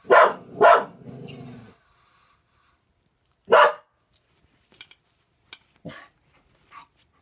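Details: Pet dog Raelie, living with a Norwegian Elkhound and a German Spitz, barks at a dog on television: two quick loud barks, a brief growl, then a single bark followed by faint clicks and taps.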